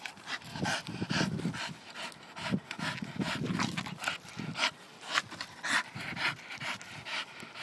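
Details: Staffordshire bull terrier breathing in quick, uneven pants, with low throaty grunts and snuffles through the first half and breathy bursts later, close to the microphone.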